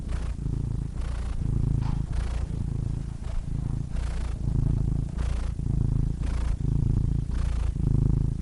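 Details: Continuous low purr of a cat, rumbling in rhythmic breath cycles roughly every second, each pulse separated by brief airy breathing noises, close and steady throughout.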